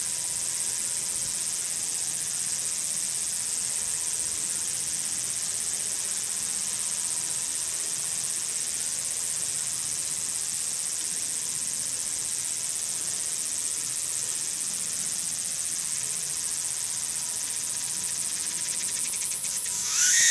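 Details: Tsukutsuku-boshi cicada, Meimuna opalifera, singing from the start of its call through to the end: a loud, continuous high-pitched shrill drone that holds steady throughout, with a brief rasping burst at the very end.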